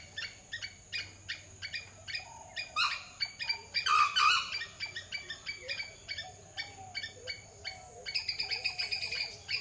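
A squirrel gives a steady run of sharp, scratchy chips, several each second.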